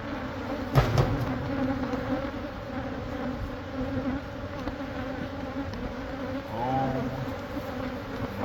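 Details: Many honey bees droning from a hive in the wall of a Catholic church building in Monrovia during removal; constant layered hum, a sharp knock near the start and a brief wavering tone later.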